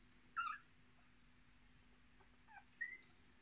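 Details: Young Miniature Australian Shepherd puppies, one litter of six born 10 March 2020, with their mother: a sharp high squeak, then a pause, then two soft falling squeaks and a brief thin whistle-like whine.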